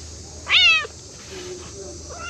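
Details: Several playful cats gather around a waiting room and play together; one loud, sharp meow with a falling tone lasting about a third of a second, followed by faint low sounds and steady background hum.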